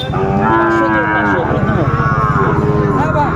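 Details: Sahiwal cattle at a Manikganj market on 30 December 2024, among bull calves for sale. A sustained, steady low moo lasts most of the moment, its pitch wavering slightly, with a low rumble underneath.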